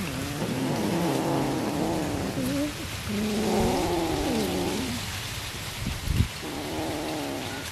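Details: Domestic cat being fed fish, giving a run of drawn-out, wavering meows that rise and fall in pitch, one after another with short gaps, over a steady background hiss.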